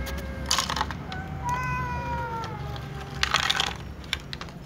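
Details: Cats meowing before eating, a mix of little cats and a tom cat: several drawn-out harmonic meows, some rising then falling, over a low rumbling background with brief broadband clatters.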